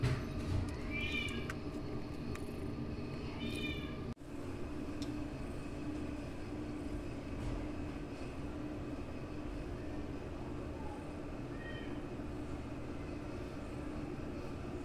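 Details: Two brief, bright meows of a house cat among its kittens and grandkittens come early on, a faint third later, then a long stretch of steady low rumbling hum and a single sharp knock.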